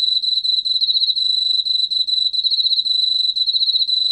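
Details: Emma field cricket song from Korea's National Institute of Biological Resources, 2020: a steady, high, pulsing trill held on one pitch with a faint upper overtone, rapid chirp pulses running without a break over a quiet background.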